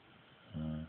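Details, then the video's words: Sleeping female dog at home giving a human-sounding snore, a single short, low, rumbling buzz that holds one steady pitch for about a third of a second before fading to quiet. "My dog snoring in her sleep"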